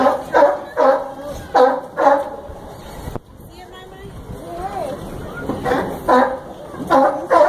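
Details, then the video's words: Zoo sea lion barking at Brookfield Zoo, Chicago: two bursts of rough, harmonic barks, each about four quick barks in pairs, separated by a quieter stretch of crowd talk and a sharp click. "Sea Lion Barking!"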